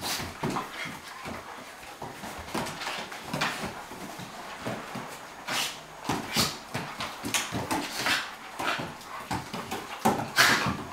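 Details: Two playing dogs, Cairn Terrier Bonzo and Flat-coated Retriever Pippi; soft grumbling growls, whines and panting huffs come in short uneven pulses, ending with a sharper yelp, amid clicking and rustling.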